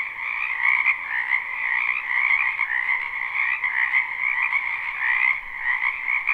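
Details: Live recording of many frogs in a wetland during spring: massed croaking forms a constant buzzing trill, higher layer occasionally rising in brief brighter peaks above the lower drone.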